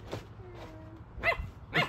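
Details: Mae, a Siberian husky, yelling at her ball, which she seems to think has a mind of its own; a faint short yip early on, then two loud, sharp, harsh yelps half a second apart near the end.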